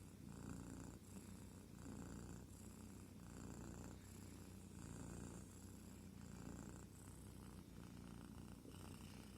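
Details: Purring from a sleeping kitten, a soft low rumble that swells on each breath, about every second and a half, steady and unbroken throughout, recorded up close with nothing else audible.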